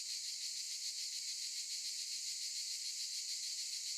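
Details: Cicadas singing in olive trees: a dense, unbroken high-pitched buzzing chorus with a faintly pulsing texture, steady in loudness throughout, with no other clear sounds.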